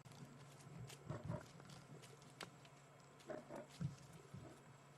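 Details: A lioness, one of the mothers, gives low, rumbling growls in short bursts over a steady engine hum after chasing a male lion away, on an August 2016 evening safari drive.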